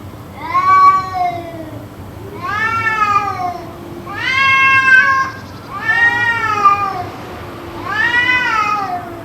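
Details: Cats yowling on and on in what may be a fight, a session that lasted about two hours: five long, wavering, harmonic-rich wails, each rising then sagging, spaced roughly two seconds apart, with a low steady drone beneath.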